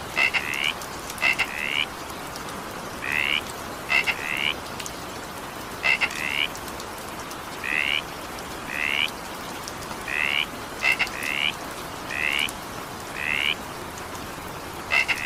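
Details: Frogs calling during evening rain: short, pulsed croaks, often in quick pairs or small bursts, repeated about every second against a steady hiss of falling rain.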